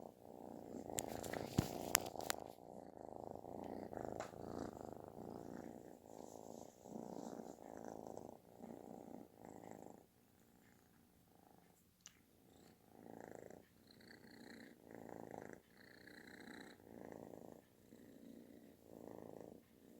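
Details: Kitten purring loudly like snoring while seeking affection, indoors; a rough, buzzy rumble pulsing in breaths about every second, with a few sharp clicks near the start and faint higher tones overhead.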